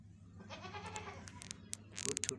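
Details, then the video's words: Several young white kittens meowing, giving short rising cries with clicks and rustling near the end, over a low steady hum. "kittens meowing"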